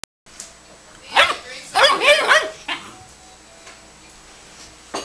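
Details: Dobermann puppy at play, giving a burst of high, yelping barks with rising and falling pitch, several in quick succession around the middle, then quieter gaps and a final short yelp.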